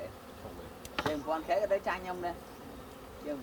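A honey bee buzzes in a low, droning hum that wavers in pitch and loudness.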